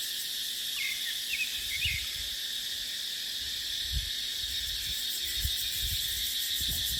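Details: Dry-season cicada drone in dipterocarp forest: a loud, even, high-pitched buzz. Near the start, a few quick bird chirps slide downward, while the wind gives occasional low thuds.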